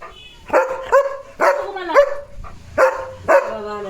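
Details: Leo, a German Shepherd, barking non-stop at another dog outside; sharp barks in pairs and singles at an uneven pace across a few seconds, with a low hum near the end.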